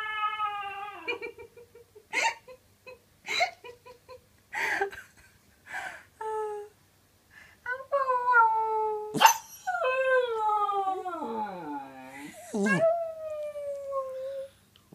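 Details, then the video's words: Lily, a pet dog, gives a series of short yips and choppy bursts that build into a long, sliding howl near the end, recorded in a small room. "Lily howling randomly"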